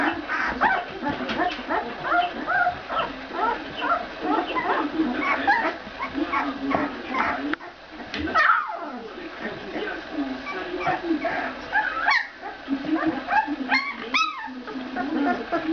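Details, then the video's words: Fourteen-day-old Ca de Bou puppies squeal and whimper in a dense, overlapping chorus. Short, high, rising and falling cries tumble over each other almost without pause, with lower grunting murmurs beneath. "Chiots Ca De Bou - 14 jours"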